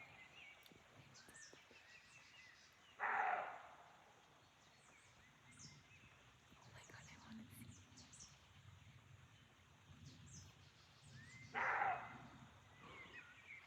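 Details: Two hoarse, rasping barks from a roe deer in a Chaumien forest, France, about eight seconds apart, a call believed to mark territory or mating; small birds chirp and twitter faintly throughout the quiet woodland.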